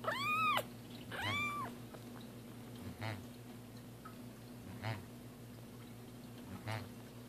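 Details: Cats Roger Taylor and Simon LeBon at their first bath in a small room; two loud arched meows open, followed by fainter cries and water sounds against a constant low hum.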